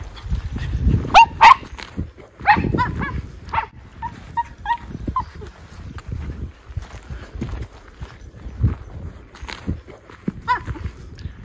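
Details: Two Miniature Schnauzer brothers, Lucky and Levi, running outdoors in 14°F cold on December 12, 2022, in Aroostook County, Maine, after three weeks cooped up inside; short sharp yips and barks scattered through, with crunching footsteps and people talking.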